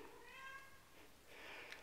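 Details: Silver RagaMuffin kittens, nine weeks old, in a litter indoors. There is one short, thin meow with stacked harmonics, then a second, fainter, higher call. The room is otherwise quiet.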